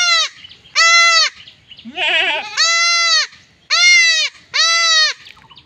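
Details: Village goat under castration giving five strained, high, sustained bleats at roughly one-second intervals, with one trembling, warbled cry between the second and third.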